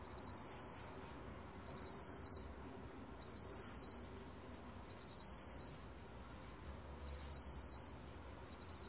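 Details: High, metallic chirping trills from a meok-gwitturami cricket, near-second-long bursts spaced about every one and a half seconds, some opened by brief clicking pulses; soft steady background noise.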